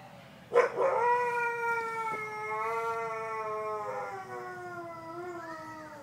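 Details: A captive wolf at a zoo on Thanksgiving gives one long, steady howl that slowly slides lower in pitch.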